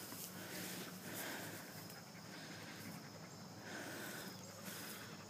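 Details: German Shepherd named Sheba panting outdoors at a park on a beautiful day, worn out after an hour of running; steady breathy huffs roll in rhythmic waves about once a second over a low background hum.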